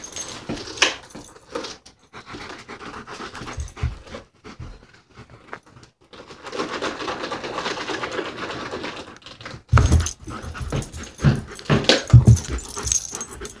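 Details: Playing German Shepherd pants rapidly in airy, hoarse bursts, steady for a stretch mid-way, then a louder run of heavy breaths and knocks toward the close, in a small room.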